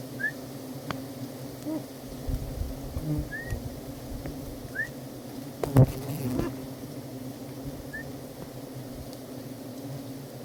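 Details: Honeybees (pukyutan) at a pagipagi tree: a steady low droning hum with layered harmonic bands runs throughout, broken by a few short, high bird chirps and a brief loud thump near the middle.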